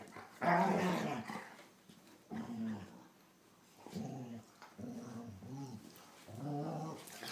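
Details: Indoor play between two German Shorthaired Pointers, young Copper bothering older sister Zoie; a loud opening growl-whine followed by several shorter moaning whines spaced roughly a second apart.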